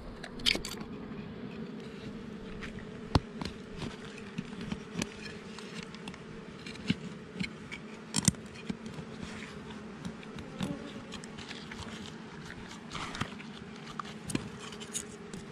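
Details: Honey bees from a wild hive found under rocks in the forest, disturbed during honey collection: a steady low droning hum with a higher overtone, overlaid by frequent sharp clicks, scrapes and handling knocks.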